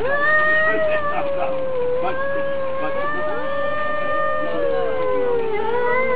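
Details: Domestic cats fighting, one unbroken moaning yowl that wobbles slowly in pitch, with a second voice weaving beneath it and a low hum throughout.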